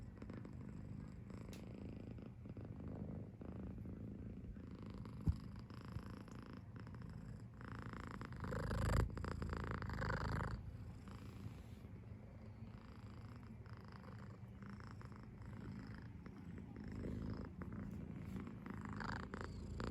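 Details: Potty, a seven-month-old British Shorthair tomcat kitten in Tokyo, purrs contentedly with a snore-like sound; a soft, low, pulsing rumble about four beats per second, swelling briefly midway, with a faint click or two.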